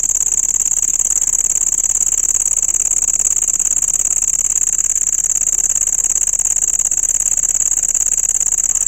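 A cricket gives a loud, steady, high-pitched trill that runs without a break.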